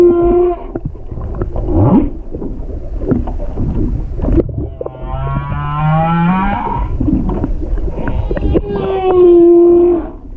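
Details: Humpback whale song recorded underwater with a GoPro 7 off Hakohama, east of Chichijima, on 21 February 2021 from a stopped boat: long harmonic moans, some steady, one slowly rising, with a short rising whoop, over low rumbling water noise.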